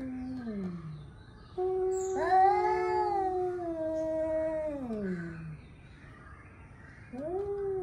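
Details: Angry male cats warming up to fight: long wavering yowls with rich harmonics, rising then sliding downward, one drawn-out howl lasting about four seconds between shorter moans.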